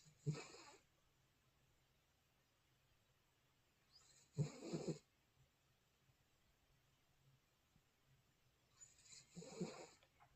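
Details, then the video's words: Mond, a sleeping dog, snoring in a quiet room: three loud rasping snores, each about half a second long, spaced roughly four to five seconds apart, with near silence between breaths. "코골이 몬드양🤣#여보세요!몬드양, 그렇게 코를 골면 시집 못 가~ㅋㅋㅋ"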